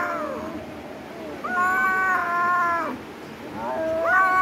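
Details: Fighting cat giving long, loud, wavering howls, one sustained wail of over a second followed by a rising, strained yowl, with human voices heard around it.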